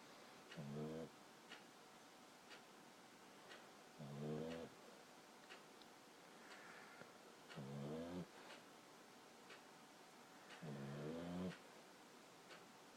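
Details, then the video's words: A 14-week-old Boxer puppy snoring while asleep: four soft, low, rattling snores, each under a second long, come every three to four seconds over a faint background hiss. "Boxer puppy snoring"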